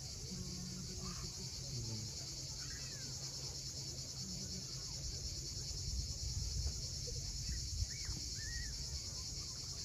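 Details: Cicadas calling at sunset on the steep coast of Cape Fiolent, Crimea: a continuous, steady high-pitched buzzing drone, with a low rumble of waves beneath and a few brief, faint bird chirps.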